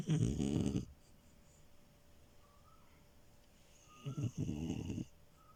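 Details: Sleeping French Bulldog puppy Milo snoring on a bed: a rough rattling snore at the start, a quiet gap of about three seconds, then a stuttering, fluttering snore lasting about a second.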